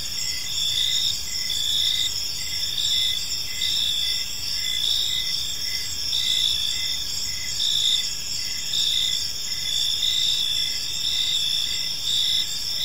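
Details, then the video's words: Crickets in a peaceful park at evening produce an unbroken shrill trilling, pulses recurring about once a second in slightly irregular waves, over quiet low-frequency ambient noise. "Park Serenade: Cricket Sounds in a Peaceful Park | Evening Ambience"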